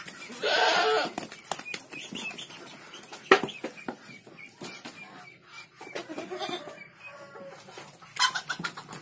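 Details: Farm goat kid letting out a brief, harsh bleat near the start, then quieter shuffling, tapping and distant calls, ending with a short second burst.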